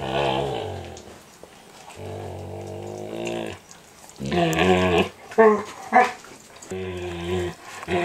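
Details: Indoors, young standard poodle Micah, eight months old, nibbles another poodle's ears during an everyday ritual; low, rumbling groans and whines in uneven bursts, with a few sharp clicks near the end.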